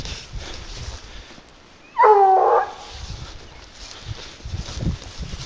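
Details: A single drawn-out, tonal bark from Garuo, a 22-month-old dog tracking wild boar on a leash. It is surrounded by quiet outdoor background with low rustling.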